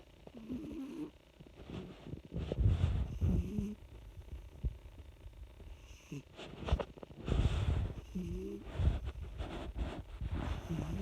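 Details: A domestic cat snoring while asleep: low, rumbling breaths rise and fall in uneven bursts, with a few short wavering tonal sounds among them and quiet stretches in between.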